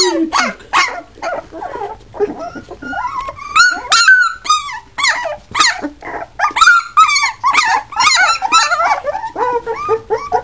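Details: Hungarian Vizsla puppies, recorded April 27, 2011, whine and squeal in a busy chorus of high, wavering cries.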